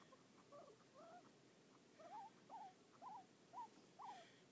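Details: A male pet guinea pig gives soft, short squeaks, each with a quick upward or wavering inflection, about twice a second, a noise he always makes while being petted and stops when petting stops.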